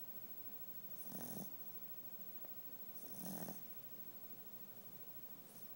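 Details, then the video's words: Female pet dog asleep and snoring: two low, rasping snores, each about half a second long and roughly two seconds apart, with a faint breath between them, over a steady background hiss. "My dog snoring"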